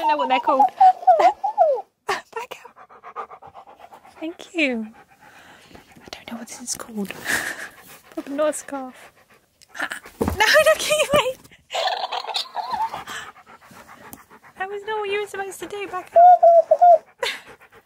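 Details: K'eyush, a pet Siberian Husky, indoors near a talking, dancing cactus toy, gives several curving, whining woo-woo calls that bend up and down, mixed with a person speaking and the toy's chatter and rustling.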